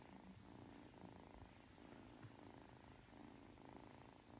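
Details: Drowsy three-month-old Ragdoll kitten kneading before sleep, giving a close, low purr that pulses steadily in and out with its breathing, about once every half to one second.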